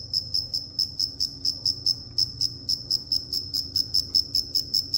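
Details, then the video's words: Cricket giving a regular series of high, clear pulsed chirps, roughly two or three each second, evenly spaced throughout, with only a soft low hum beneath. "Cricket Chirping"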